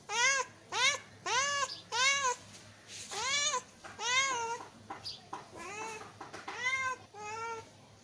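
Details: Kitten meowing to attract cats, a long run of about a dozen insistent, arched meows in quick succession, some drawn out and wavering, others short and clipped, with a faint steady hum underneath.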